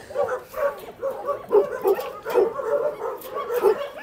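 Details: Dog barking in an animal shelter kennel area: a steady series of mid-pitched barks, roughly one a second, with other dogs barking and yipping in the background and no voices over it.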